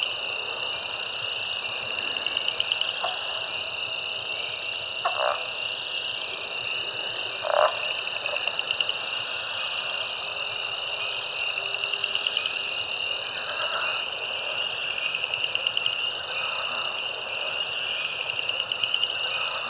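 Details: Wetland frog chorus, Caddo Lake refuge, eastern Texas, USA, March 2024, including spring peepers, chorus frogs and leopard frogs; continuous shrill trilling with short lower croaks and snoring notes breaking through every few seconds.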